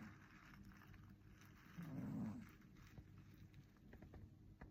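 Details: Sleeping Maine Coon kitten snoring: a single soft, low, rasping breath swells near the middle and then fades, with a quiet background otherwise.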